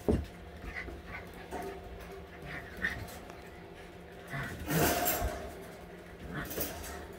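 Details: All-white husky puppies at eight weeks old during playtime, giving faint, short high whimpers and yips scattered through the clip, with louder rustling and clatter near the end and soft background noise.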